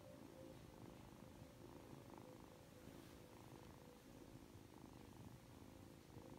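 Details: Quiet, close purring from Aki, a Ragdoll kitten aged 3 months, affectionate on waking: low, even rumble rising and falling in about one-second breaths, with a faint steady hum behind it.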